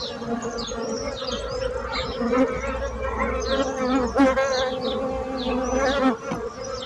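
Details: Buzzing bees make a continuous droning hum with strong steady tones and slight swells in loudness, while birds chirp and whistle in the background.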